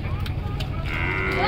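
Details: A big cow being unloaded in a village gives a brief, low, droning call over rumbling background noise.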